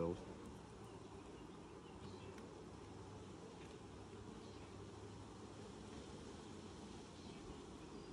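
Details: Honey bees at a hive during its first inspection in 2020, six days after the nucs were installed; a steady, dense droning hum fills the whole stretch without pause, and no voices are heard.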